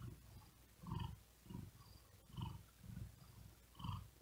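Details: Cat sleeping on a wooden desk on a very hot day, purring while breathing fast and laboured; deep rumbling pulses come in a slightly uneven rhythm, roughly one every second and a half, over a faint hiss.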